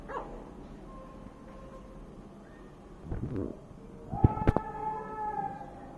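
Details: Five-day-old Golden Retriever puppies, twitching, whimper with thin, whiny squeals rising sharply near the end.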